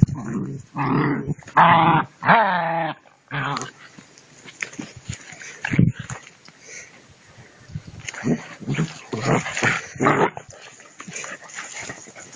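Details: Two-month-old puppies tugging at a rag during prey drive training; a few loud, drawn-out harmonic whines in the first seconds, then short rough growly bursts and scuffling noises come in uneven clusters.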